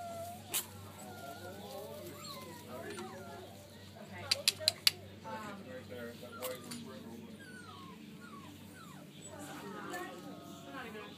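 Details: Boston terrier x pug cross puppies whimpering indoors: thin, high, wavering whines rise and fall throughout, with a few sharp clicks and knocks and a person's voice in the background.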